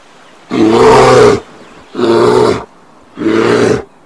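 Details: Three loud, rasping bear roars in quick succession, each under a second long, deep and throaty with a rough, growling texture.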